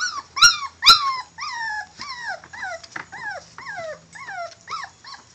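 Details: Male Catahoula bulldog puppies whimpering: high, whiny yelps that slide downward in pitch, about a dozen in quick succession, with two sharper yips near the start.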